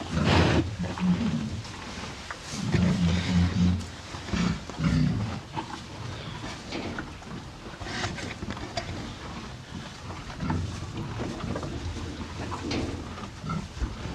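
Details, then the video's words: Close-up recording of two cows feeding on hay: loud clusters of crunching and rustling in the first five seconds, then softer, scattered chewing and hay crackles over a low snuffling rumble. "TWO CUTE COW EAT HAY!"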